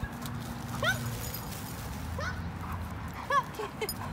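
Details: German Shorthaired Pointer in obedience training lets out short, upward-sliding squealing whines, three or four within a few seconds, over a low steady hum.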